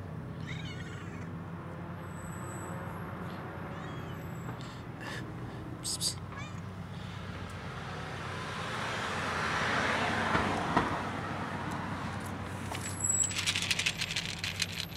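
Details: Cats quarrelling over food, giving short harmonic meow-like cries in the first seconds and near the sixth second, then a broad noisy swell mid-clip and sharp crackles near the end, over a steady low hum.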